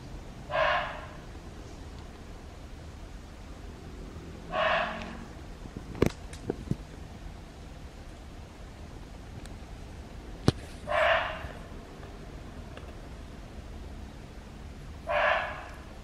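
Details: A red muntjac (barking deer) in Hong Kong forest gives short, harsh, dog-like barks about every four seconds. Such evening calls signal suspected danger or the breeding season.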